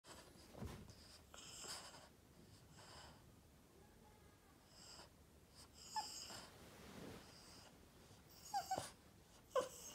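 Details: Upset Boston Terrier whining to get attention: snuffly, wheezy breaths and snorts, then a few short, thin high whines near the end, each under half a second.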